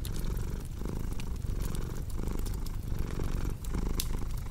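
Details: Deep, throaty purring of a cat, a grainy low buzz beating in regular swells under occasional crackling snaps from a fireplace.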